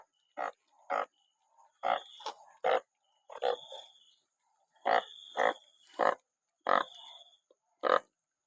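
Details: After rainfall, many banded bullfrogs call together: short bleating honks arrive in irregular clusters, a few nearly overlapping, over about eight seconds, while a faint high-pitched tone drifts in and out.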